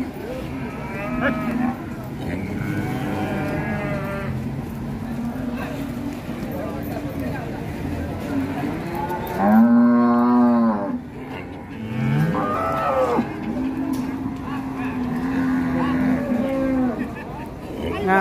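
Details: Sacrificial cattle unloaded from a truck at Siyono Harjo market in Indonesia, one rampaging; a loud, strongly harmonic moo stands out midway, with further lower bellows and steady market rumble around it.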